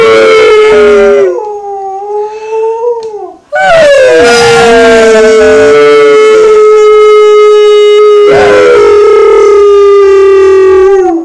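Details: Alaskan Malamute howling along with two people at home, long sustained tonal howls holding steady pitch with rising and falling bends, human voices howling and blending in, loud throughout with a short pause near the middle.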